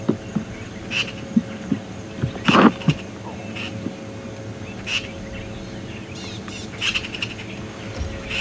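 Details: Tree squirrel at Djuma Game Reserve on a cold morning on 23 August 2015, alarm calling at a martial eagle with sharp, scattered clicks every second or two and one louder burst over a low hum; calls are less intense since the eagle arrived a while ago.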